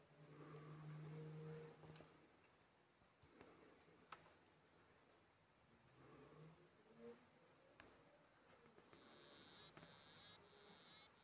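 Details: A male African dwarf frog sings underwater in a low, droning hum, first a steady buzz and then again a few seconds later, while a larger female swims nearby; February 2024, faint rumble and a high whine underneath.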